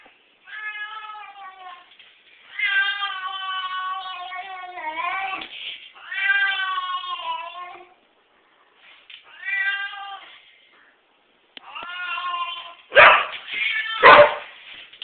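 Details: Male pet cat vocalising indoors when petted on the back: long, wavering, nasal meows in separate bursts of one to three seconds, about five in a row, ending in rougher, harsher yowls.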